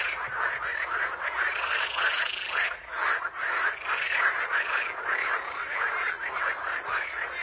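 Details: Many frogs calling together in a natural setting, a thick layered chorus of raspy pulsed croaks, about two per second, steady and unbroken with slight dips in loudness.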